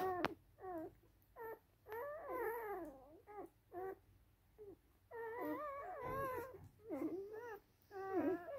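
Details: Rough Collie puppies of a litter at a kennel in Vienna, Austria; wavering, high whines and whimpers in overlapping bursts of one to two seconds, indoors with quiet background.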